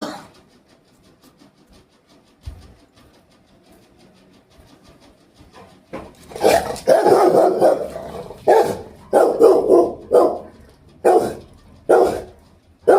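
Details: Angry pet Rottweiler barking indoors: quiet first half with faint sounds, then from about six seconds loud broadband barks in bursts, roughly one a second, with a woman talking between them.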